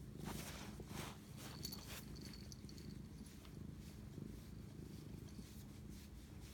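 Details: Domestic cat purring at night, 11:07 pm on 25 March 2019, while bonding; low continuous rumble with pulsing breaths, plus brief soft rustling and a faint high tone.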